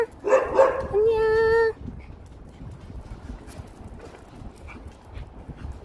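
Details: Maltese dog out on a warm spring walk after overnight rain; two quick sharp yaps, then a drawn-out high steady whine, followed by quiet outdoor background.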